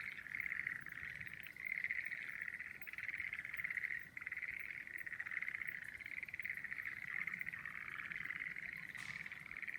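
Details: Near steady frog chorus under blossoming cherry trees, a dense pulsed trill running almost without pause, briefly dipping around four seconds, with soft background hiss.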